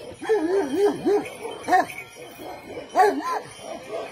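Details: Morning greeting from the Kangal family of father, son and mother, named Kamyon, Merkel and Volvo: wavering, whine-like yelps slide up and down in pitch in quick clusters, with a short pause before a final burst.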